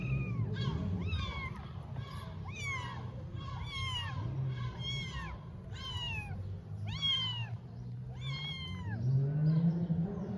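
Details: Mother cat with her kittens among Istanbul's stray cats, constantly licking and cleaning them; a rapid series of about a dozen high, downward-bending mews, roughly one every second, with steady low hum beneath.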